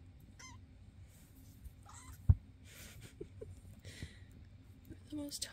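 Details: Foster cats indoors, filmed May 22, 2024, with adult male Basil and playful kittens Oodles and Zimothy: a short high meow with falling pitch, then a brief rising-falling mew, over a woman's soft speech and room noise.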